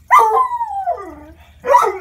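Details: Bluetick Coonhound puppy, six months old, protesting the stairs with a loud howl that holds steady then sinks in pitch over about a second, followed by a second, shorter howl. A person keeps calling it down.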